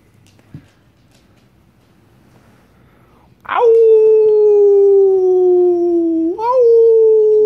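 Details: Pet dog howling indoors in response to its owner's howling: after about three seconds of quiet, one long, steady, tonal howl slowly falls in pitch, then rises briefly before continuing.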